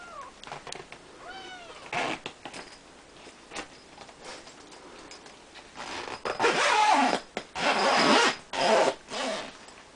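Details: Three-week-old Siamese kittens in a play-pen with their mother and grandfather: a few thin, arched kitten meows early on, then loud rustling and scraping bursts of handling noise dominate the second half.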